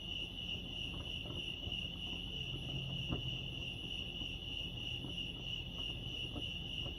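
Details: Lake Arrowhead, California crickets keep up a constant shrill chirping at a single high pitch, with a light low rumble and a brief soft thump near the middle.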